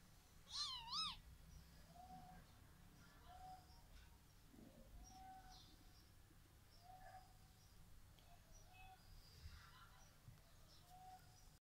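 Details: Triplet kittens play-fighting, heard as one loud wavering meow near the start followed by soft, repeated short mews and faint squeaks over a low steady background hum.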